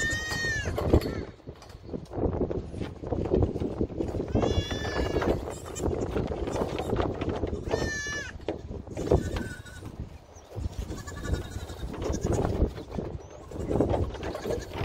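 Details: Nigerian Dwarf show goats at a dairy goat ranch discover a hidden camera; wavering, harmonic bleats break out near the start, again around four and a half seconds and at eight seconds, over constant human talk and handling noise.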